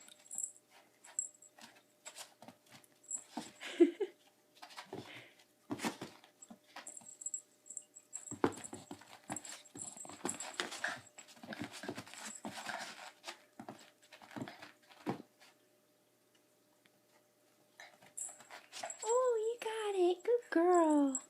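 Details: Puppy playing indoors with a cat toy: scattered clattering and tapping from play, then near the end a run of high, wavering whines and yelps, rising and falling in pitch.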